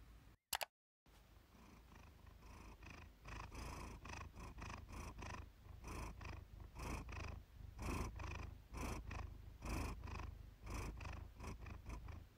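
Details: Iris, a pet cat, purring, recorded one evening by chance for a relaxation session. A sharp click and a brief silence open the clip, then a steady low rumbling purr swells and fades in a regular breathing rhythm.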